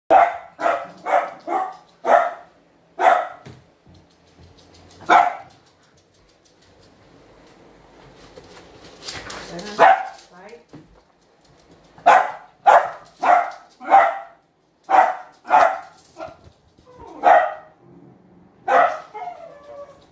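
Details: A young Dachshund being trained for excessive barking with a non-shock sound-and-vibration anti-bark collar, worn for the first time. It barks in quick, sharp bursts, pauses briefly, then starts barking again.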